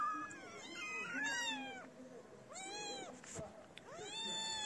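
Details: Abandoned feral kittens gathering around a feeder on a cold day. A cluster of overlapping meows, then two clear, loud, arching cries separated by a pause with faint clicks.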